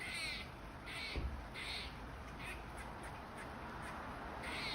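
A squirrel gives harsh, raspy barking calls repeated in quick, steady bursts.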